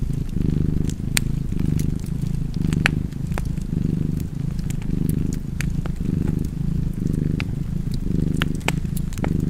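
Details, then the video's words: Low, continuous cat purr pulsing in alternating inhale and exhale phases about once per second, with scattered crackling fire clicks over the top. "Cozy Purring Cat ASMR / Kedi Mırlaması"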